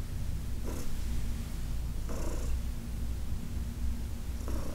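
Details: Elderly shelter-adopted female cat purring while being massaged, August 4, 2021: a continuous deep, even rumble with gentle breath swells and a few brief rustling sounds from hands on fur.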